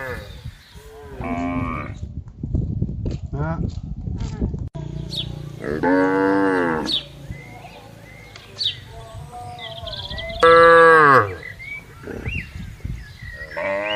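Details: Herd of tame cattle and calves on vast open grassland: several moos of varying length and pitch, some short and bending, one louder and higher near the end, separated by quieter rural background.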